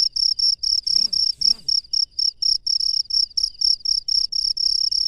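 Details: Crickets chirping outdoors at night with quick, shrill pulsed bursts repeating steadily; two faint low swooping sounds appear briefly near the start.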